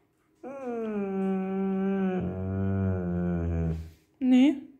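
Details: Bernese Mountain Dog puppy, female and hungry, growl-talking indoors after being refused chicken: a long, drawn-out harmonic moan lasting about three and a half seconds, shifting lower midway, followed by a short higher yelp-like sound.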